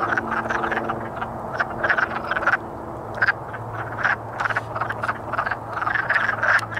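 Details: Chorus of courting wood frogs, many short hoarse clucks overlapping in bursts, with a steady low hum in the background.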